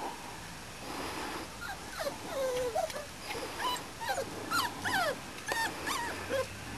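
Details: Springer Spaniel puppies of the Y-litter, about four and a half weeks old, outside for the first time: several high whimpers and yips, thin rising and falling whines overlapping in quick succession against a soft outdoor background.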